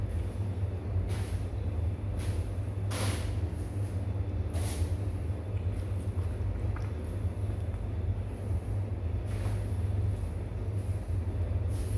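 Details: Low rumbling engine-like noise fills the recording, with a few brief broadband hisses and clicks; no animal voice is heard.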